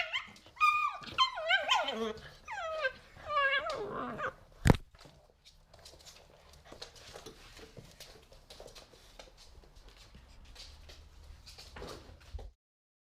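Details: Pit bull puppies, three months old, at play in an apartment in 2017. Several high, sliding whines and yelps rise and fall over the first four seconds. A sharp knock follows, then soft shuffling and faint noises until it ends.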